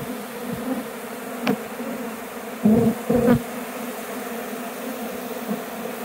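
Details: Swarming honey bees returning toward a hive box after trying to abscond; even low hum of the swarm, then a couple of loud, close wingbeat buzzes lasting under a second each.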